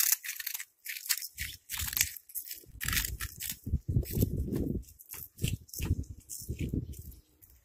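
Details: Eating cat producing loud, gritty crunches: bright snapping bites alternating with heavier low chewing, in uneven clusters with short gaps, fading toward the end.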